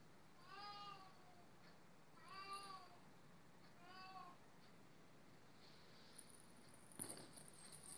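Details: Meowing from an Oriental or Siamese cat, three clear harmonic calls about a second and a half apart, each bending down at the end, followed by quiet rustling and a sharp click.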